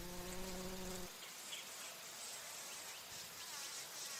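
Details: Buzzing bumblebee on the wing near nectar flowers, its deep humming drone with layered overtones filling the first second before cutting off, leaving a background of high, shimmering insect hiss.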